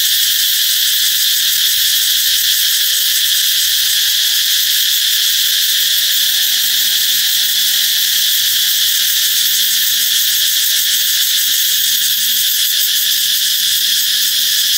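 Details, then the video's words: Loud cicada song heralding the coming of summer, a continuous piercing metallic whine without pauses. A faint low tonal sound drifts underneath in the background. "Ve sầu hót vang báo hiệu mùa hè sắp đến"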